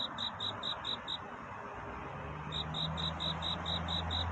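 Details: Cricket calling for love during the night: rapid high chirps at roughly four per second stop for over a second, then resume, with a faint low hum running beneath.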